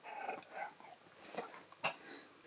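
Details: Siberian Husky named Keyush protesting as a new red harness is put on: soft, low-level whining and grumbling murmurs with a few short rising yips near the end.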